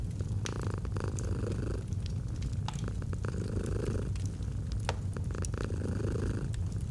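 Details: Steady rumbling purr of a domestic cat with gentle pulses of inhale and exhale, accompanied by scattered snapping crackles of a burning fireplace.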